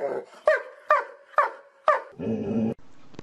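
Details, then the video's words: Domestic dog from a compilation of funny barking dogs: four sharp, harmonic barks about every half second, then a brief buzzy, growling burst and a quiet tail. "Most funny dog barking videos compilation ♥ Dog Barking Sound Funny Dogs"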